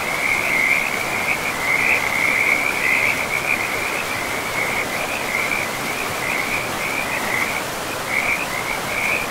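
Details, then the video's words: Frogs by a river deep in a pristine forest give a near-continuous run of high, rattling trill bursts, about a hundred a minute, some overlapping, over a constant hiss of rushing water. "River and Frogs sleep sounds"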